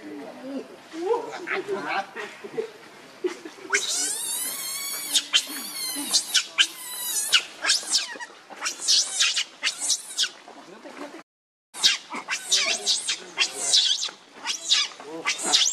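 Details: Baby monkey, hungry and begging its mother for milk, gives long, piercing, quavering wails that rise and fall, then breaks into choppy squeals after a brief silence; softer whimpers open the sequence.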